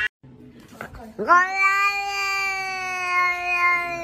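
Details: House cat at home uttering a soft short sound, then a long, loud, steady-pitched meow held for nearly three seconds in a quiet room.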